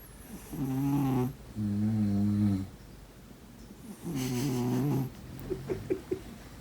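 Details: Snoring cat asleep, giving steady runs of deep grating snores, two close together then a third after a pause, followed by a few small clicking breaths.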